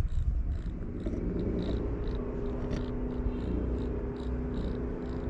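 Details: Newly abandoned, hungry white stray cat on a street in Morocco, adapting to street life: a steady, low, continuous purr with a droning hum and faint rhythmic pulses throughout, close to the listener.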